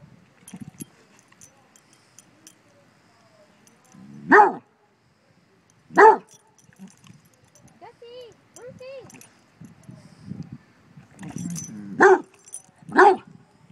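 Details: Basset Hounds barking at a bumble bee: single loud deep barks near 4, 6, 12 and 13 seconds, with softer whines and low grumbles between and faint music.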